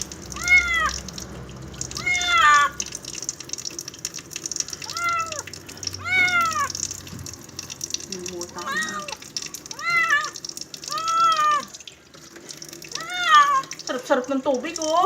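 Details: Cat having its first bath, meowing repeatedly in strong arched, slightly wavering calls every one to two seconds, with running water and splashing behind and a few softer, choppier cries near the end.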